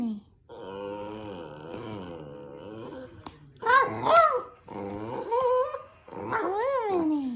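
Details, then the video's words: Rat Terrier named Minnie, a pet dog, making funny noises indoors: a long wavering, grumbling moan-like growl, then sharper whining yelps that rise and fall in pitch in several short bursts. "Minnie making funny noises"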